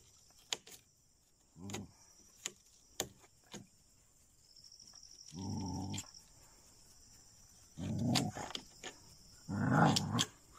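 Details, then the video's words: Dogs attacking jungle cats in Chilaw, Sri Lanka. Sharp clicks and knocks lead into three coarse growling bursts, the last louder and more ragged, over a steady high-pitched hiss. "Dogs attacking on jungle cats"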